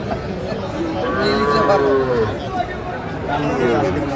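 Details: Sahiwal bull calves at a Kurigram cattle market on 16 March 2025; a wavering, arching moo of about a second rises and falls, with buyers' voices and market bustle around it.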